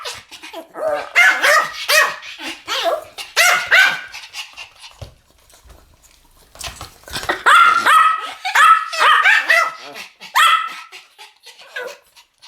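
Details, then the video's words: Duet barking from Pomeranians: a flurry of shrill, rapid yaps, then a short near-silent break, then a second overlapping burst of high, excited barks that gradually thins out. "ポメラニアン Pomeranian デュエット吠え 1000回 犬の鳴き声"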